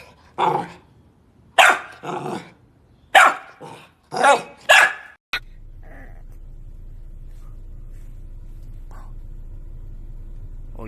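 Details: A puppy gives a run of short, sharp, high barks, then falls quiet over a low hum.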